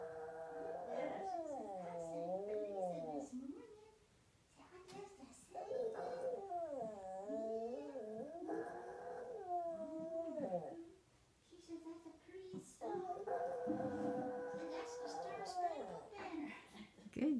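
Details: Female Yorkie singing a song for her owner one morning indoors, coaxed to sing: drawn-out, wavering howls in repeated rising and falling phrases separated by short pauses, with some human speech mixed in.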